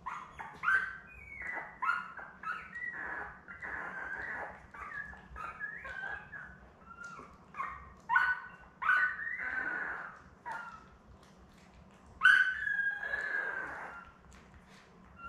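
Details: Newborn Labrador Retriever puppies, seven in the litter born May 24, 2021, with their mother Belle on June 4. Thin, high tonal whines and squeals come one after another, some rising and falling, with a soft steady hum behind them.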